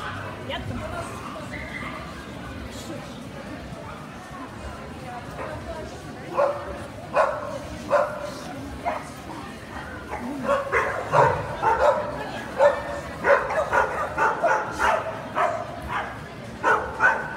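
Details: Kerry blue terrier at a specialty dog show on 29 April 2018. Quiet hall chatter gives way to loud, uneven barking from about six seconds, bursts repeated roughly every second, with people talking throughout.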